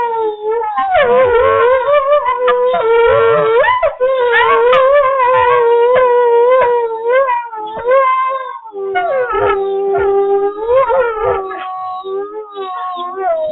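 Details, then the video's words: Several captive wolves at the International Wolf Center in Ely, Minnesota, howl together, caught on a live wolf cam; overlapping long, wavering tones weave and slide around each other, some rising and falling, filling the whole stretch with a dense layered chorus. "Two Camera Howl"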